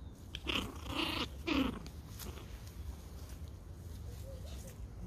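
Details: Pomeranian Toy Pom puppies playing in a garden: a burst of rough, throaty growl-yaps over about a second, then quieter low rumbling and faint squeaks, with steady low background hum.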